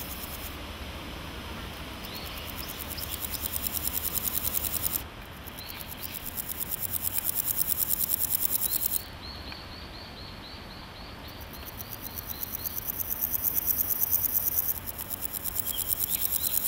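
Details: Naki-inago grasshopper calling in grass, a sound only males make, by rubbing hind legs against the wings: bouts of rapid, raspy pulses lasting several seconds, separated by short pauses, with faint chirping bird notes behind.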